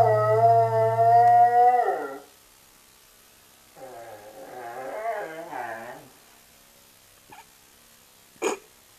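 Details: Male Saluki howling along to an Eva Cassidy song. A long, steady, tonal howl holds over deep music for two seconds, then after a pause comes a run of wavering, bending howls, followed by a few faint clicks.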